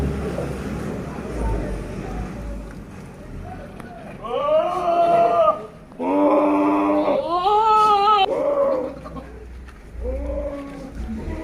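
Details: Sirohi goat, a big male on a goat farm at Pushkar, Rajasthan: several drawn-out, wavering, harmonic bleats of a second or so each in the middle of the recording, with low background noise before and after.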